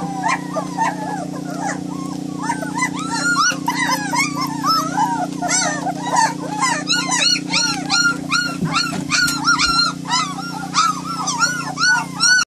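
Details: Several White German Shepherd puppies whimpering and yelping together in a dense, overlapping chorus of short high arched cries, continuous throughout, with a constant low hum beneath.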